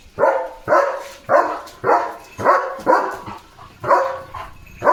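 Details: Leo, a German Shepherd guard dog, barks fiercely at a herd of sheep passing in front of his gate: about ten sharp, loud barks spaced roughly half a second apart, with no other sounds competing.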